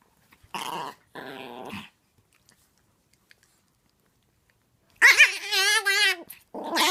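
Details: Tiny full-grown female Chihuahua, very vocal, playing indoors with a six-month-old Chiweenie puppy; two short raspy growl-like bursts, a pause, then a loud wavering, warbling whine that rises and falls, ending with another brief grumble.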